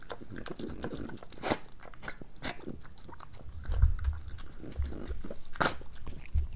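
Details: A pregnant French Bulldog, Moolah, eating breakfast: wet chewing and crunching with occasional sharp clicks and low snuffly thumps, recorded close in a small room.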